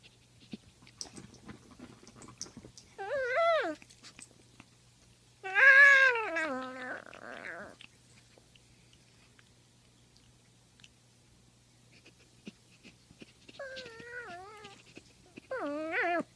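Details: Poodle indoors making funny vocal noises: wavering, falling whines in separate bouts, a loud warbling one near the start, then quieter bending whines later, with soft chewing-like rustles and a low steady hum between.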